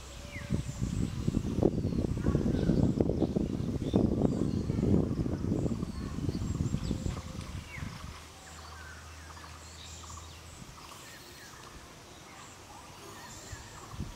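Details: Langur monkeys fighting with other groups over food and habitat: a dense run of low, harsh grunting bursts in rapid succession for about eight seconds, then fading to quiet outdoor background with faint bird notes.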